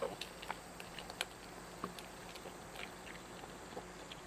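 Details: Domestic cat eating indoors: soft, irregular crunching clicks and small bites scattered through a quiet room, a few sharper snaps standing out against a low steady hum.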